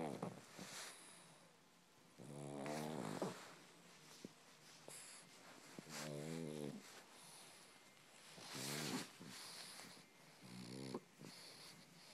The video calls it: Pug purrs like a kitten